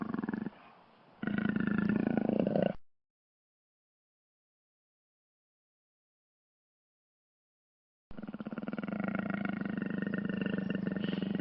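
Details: Jaguar giving a harsh, rasping roar of rapid throaty pulses. A quieter low stretch follows, then about five seconds of silence, then the rasping pulses return strongly.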